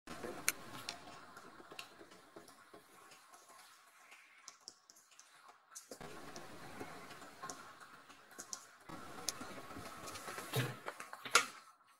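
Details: Irregular ticking and clicking sounds with soft rustling and handling noise, and a few sharper knocks near the end; no clear animal voice.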